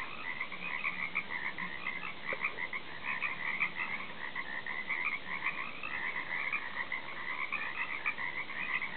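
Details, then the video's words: Frogs croaking in a thick chorus heard from a back deck, many overlapping trilled croaks running without a break. "croaking frogs"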